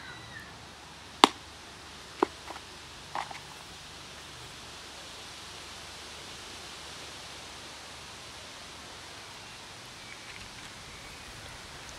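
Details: Outdoor hiss with three sharp clicks or knocks early on, then steady faint rustling noise.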